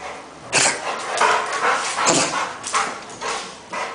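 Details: Rottweiler recorded in Nigeria barking repeatedly: about six rough, broadband barks in quick succession, roughly one every half second to second, with a low room hiss between them.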